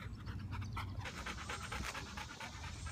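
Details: Golden Retriever named Max, 18 months old, during obedience training with a dog trainer in the Atlanta area, Georgia: steady rapid breathy panting in soft rhythmic pulses, with low handling or wind rumble underneath.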